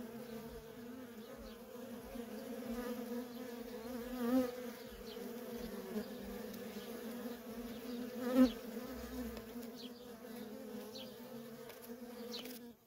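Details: Steady drone of worker honey bees trafficking at a feral colony, two close fly-bys swelling loudly at about four and eight seconds, the hum otherwise constant and mid-low in pitch.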